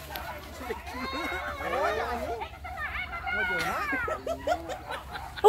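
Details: Village dogs chasing many scattering wild boar during a boar hunt, a pack's tangled chorus of overlapping yelps and rising-falling baying cries, some dipping low, with people's voices mixed in and music heard around it.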